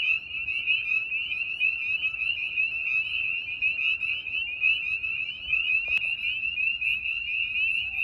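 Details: Spring peepers call in a dense evening chorus at a vernal pool, countless high, piercing peeps overlapping into a continuous shrill ringing, with wood frogs also calling there.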